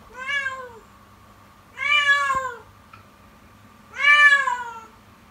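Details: Morning cries from the kitten Yukimi, calling insistently indoors: three long, strained meows with rich harmonics, rising then sliding down, roughly two seconds apart, against a faint electrical hum.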